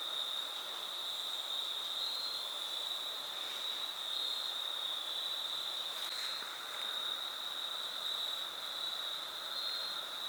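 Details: Crickets keep up a steady, high, ringing trill over soft rain and rushing water along the Foothills Trail near Horsepasture River and Hilliard Falls, in fall 2022.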